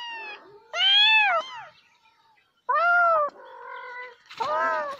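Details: Cat meowing in a quiet setting: a soft short cry, then three loud, long, arched meows about two seconds apart, each rising slightly and falling away, with a brief quieter call between.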